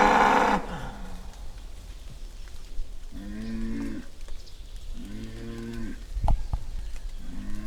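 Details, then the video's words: Angry bull, described as recorded in the wild: after a brief loud burst at the start, short low moans recur about every two seconds, each a rough harmonic grunt, with a sharp knock midway and steady background noise. "Angry bull sound"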